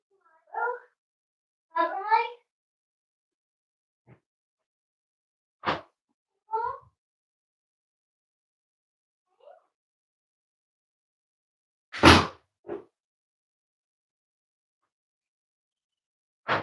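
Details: Cavalier King Charles Spaniel puppies almost eight weeks old, filmed in a family home, give short harmonic whines and yelps in separate bursts. Thumps and a loud knock break the quiet gaps between them.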